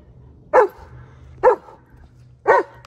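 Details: German Shepherd Odin, attacking a log outdoors while a campfire spot is being readied, gives three loud, even barks, one roughly every second, with a low steady hum underneath.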